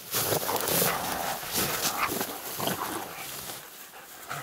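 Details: Laika hunting dogs on a night badger hunt, with one dog meeting a badger for the first time, give rapid, rough barks in quick succession, roughly three per second.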